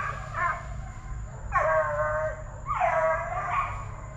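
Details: Plott Tan pups from TTG Kennels, a Plott hound and black and tan coonhound cross aged eight weeks to five months, let out two long, bending bawls, the second rising then falling, above a steady low hum.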